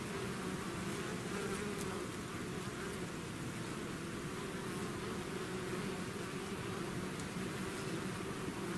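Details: Swarm of bees out of the hive, heard as a dense, hissy, level buzz with a deep hum underneath, steady from start to end.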